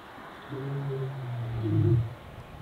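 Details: A white male lion of an ageing coalition of four, near Satara, roars in response to a rival young coalition's roars: one deep, low moan lasting about a second and a half, swelling towards the end, over quiet background.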